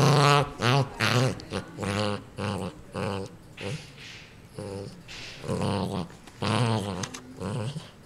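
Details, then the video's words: ['Guarding its new toy, the dog Ninja gives a run of choppy low growls, uneven in length, some with wavering tone, in a small indoor room.'] "Angry dog attacks toy"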